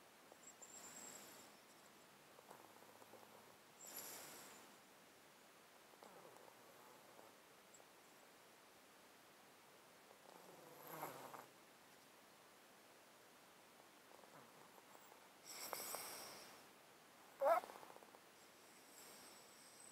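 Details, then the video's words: Domestic cat asleep in a box, close-miked, with congested, snotty breathing caused by a long-standing illness: soft, breathy hisses at irregular gaps, a few seconds apart, over a quiet background. "Cat Breathing White Noise | Close Up Mic, snot, breathing"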